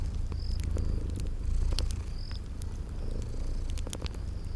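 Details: Sleeping kitties purring steadily, a deep continuous rumble beneath sharp crackles of a fireplace, with short high cricket chirps repeating in a spring garden ambience.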